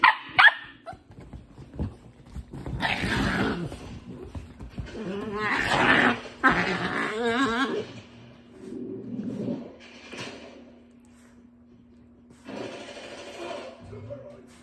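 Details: A pet dog makes a mix of funny noises: rough growls, short barks and wobbling, grumbling whines in uneven bursts across fifteen seconds, with a steady low hum beneath.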